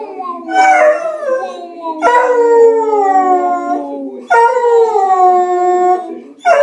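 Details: A beagle sings along, as he does daily, to the Big Ben chimes of the BBC radio six o'clock news, howling in long, drawn-out notes that sag slightly in pitch, each about two seconds.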